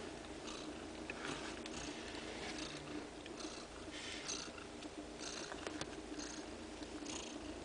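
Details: Mother cat nursing two-day-old kittens as they suckle her milk; steady low purring runs throughout, with soft breathy bursts recurring roughly every half to three-quarters of a second.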